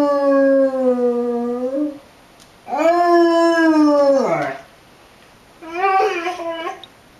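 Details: A Basset Hound sings along with tornado sirens, giving long, mournful howls that dip and rise, then a shorter wavering one.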